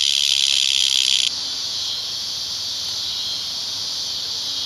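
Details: Painfully loud cicadas at Lionsgate, early September 2009; a strident high buzz with a brighter, louder layer for the first second, then one voice drops out and the remaining steady hiss-like drone carries on evenly.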